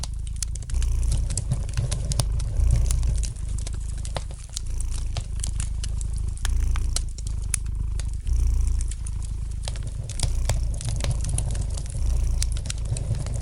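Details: Low, continuous rumbling purr of a domestic cat, rising in loudness in rhythmic waves every couple of seconds, overlaid with frequent dry crackles and ticks from a fire burning in a fireplace.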